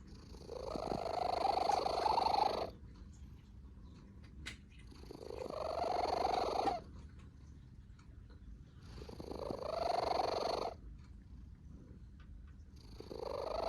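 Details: Sleeping cat snoring beside a second cat that cannot sleep; long raspy, buzzy breaths of about two and a half seconds each, separated by quiet pauses, repeating roughly every four seconds across three full snores.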